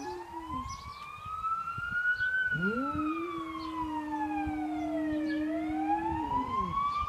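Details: An 8-year-old Boxer dog howls in a long, steady, low tone that rises at the start, as a fire truck's wailing siren goes past.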